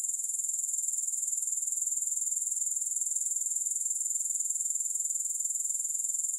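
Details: Unbroken thin, sizzling high trill of grasshoppers, rapidly pulsed and steady throughout, with no background sounds or music.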